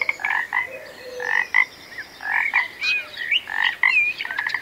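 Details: A frog calling: short, rasping, mid-pitched croaks, some with a brief rising whistled tail, repeated irregularly about once a second, with faint high thin notes in the background.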